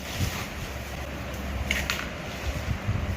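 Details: Steady wind buffeting the microphone with low rumble and a faint hiss throughout, and no animal calls.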